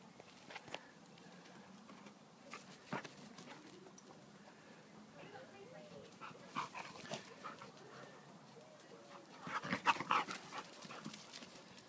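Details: A French Bulldog and a Labrador playing together make wavering, whiny grumbles and short whimpers that rise and fall in pitch, in irregular bursts, with faint human voices and scuffling between calls.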